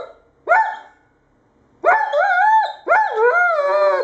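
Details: Irish Setter giving three barks: a short one, then after a pause two long, drawn-out barks with wavering, howl-like pitch that bends up and down, each lasting about a second.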